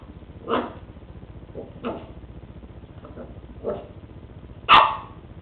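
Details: Lucy, a West Highland White Terrier, barking while playing with a treat ball for the first time indoors; several short yapping barks spaced about a second apart, ending with one louder, sharper bark.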